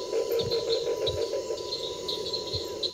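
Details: Near dark beside the Paraná River in northeast Argentina, November 2008, a steady, low droning chorus of cicadas with rapid high chirps repeating over it and a few soft low thumps.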